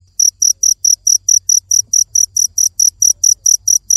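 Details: A cricket chirps in a high, shrill, evenly spaced series, about four or five pulsed chirps each second, with a faint low hum underneath.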